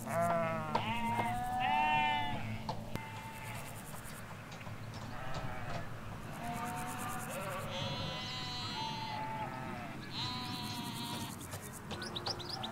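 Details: Ewes and lambs in a field in the Hampshire countryside, recorded from a hedge line: a run of wavering, nasal bleats of varied pitch, some short and some drawn out, over a steady low rumble and bright birdsong chirps.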